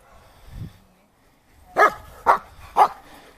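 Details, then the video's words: German Shepherd named Shadl during ZKS protection guard-duty training gives three loud, sharp barks about half a second apart, after a brief faint low sound in an otherwise quiet background. "Немецкая овчарка Шэдл на ЗКС"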